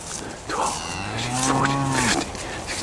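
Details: Cattle in a field, moving around while being counted by the farmer ahead of a storm; a drawn-out low moo swells and fades over about a second, with the farmer's counting voice and outdoor background around it.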